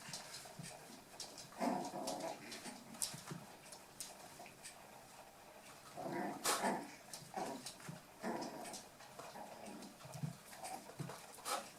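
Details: Toy poodle puppies, eight weeks old, at play: scattered brief growls and whiny yips in irregular bursts, mixed with clicking paws and scuffling.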